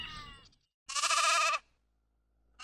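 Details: Sheep bleating in a short burst of about 0.7 seconds: a harmonic-rich, wavering tone with a rapid tremolo. A fainter earlier sound precedes it, with a brief sound cut off at the end.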